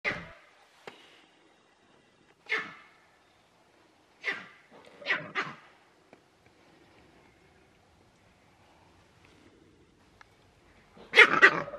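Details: Male green monkey at Novosibirsk Zoo, June 13, 2023, giving a cry; in the wild the leader's special cry warns the troop of danger. Short harsh barking bursts spaced a few seconds apart, with a louder, broader burst at the end.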